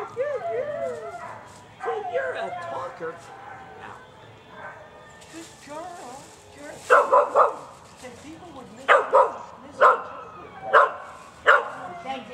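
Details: Angel, an adoptable female Basenji mix in Malakoff, Texas, vocal and 'a talker' during her first disc dog audition. Wavering, yodel-like whines open the recording, followed by sharp barks roughly every second; people talk nearby.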